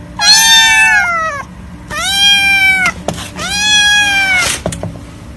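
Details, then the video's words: Hungry, scared and lonely kittens from a compilation give three loud, long meows, each rising then falling and lasting about a second, with a brief clatter near the end. "Adorable kittens meowing"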